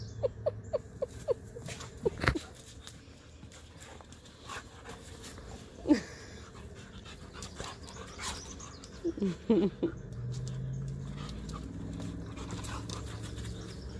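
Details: Two dogs, a Husky and Tonka the Malamute, tussling in morning play; a burst of short grunting yips at the start, a rising whine near six seconds, then a cluster of higher squeaky whimpers around nine seconds, amid scuffling and occasional talk.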